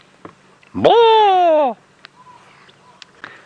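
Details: A female chacma baboon sits as troop sentinel on a sunrise drive at Djuma Game Reserve, 7:30 AM, 6 April 2017. She gives one loud, hoarse, drawn-out call, rising sharply then sagging; it is not quite an alarm call but is communicating with the troop, with faint distant replies.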